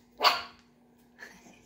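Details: Eight-week-old Chihuahua puppy gives one short, harsh, shrill bark, followed a second later by a fainter squeaky yelp, with a steady low hum underneath.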